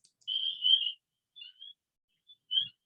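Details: Spring peepers, small tree frogs that don't live in trees, recorded in early spring in Orange County, New York: males give clear, high whistled peeps, one drawn-out note then shorter ones, calling after dark so females can find them for mating.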